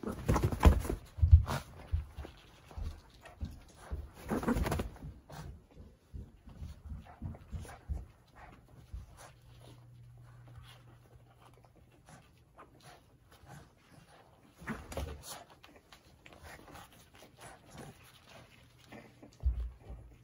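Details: A Cavalier King Charles Spaniel wrestles wildly with a cushion indoors on 13 June 2021: low, throaty rumbling grunts and snorting, snuffling pants in quick, uneven bursts, with muffled thuds and rustling, and a quieter stretch of low hum midway.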